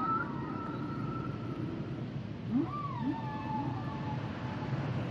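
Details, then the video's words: Long sustained whale moan held steady, followed by a bending tonal cry and a couple of quick upward chirps, from a singing humpback whale in hissy water. "Sounds and Songs Of The Humpback Whales"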